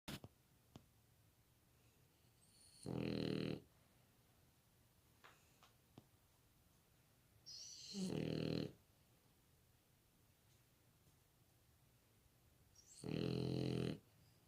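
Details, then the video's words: Puppy napping in the sunshine, snoring: three broad, rasping inhalation snores roughly every five seconds, each lasting under a second, with quiet breathing between them in a still room. "햇살 받으며 낮잠 자는 강아지 코골이"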